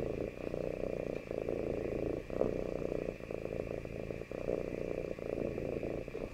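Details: Domestic cat, very attached to its owner and wanting to be near them, gives a steady low rumbling purr, continuous with small swells and dips in loudness, close and indoors.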